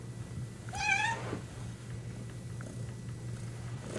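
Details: A single kitten's meow, a short high harmonic cry that rises then falls, over a steady low hum with quiet room noise afterward.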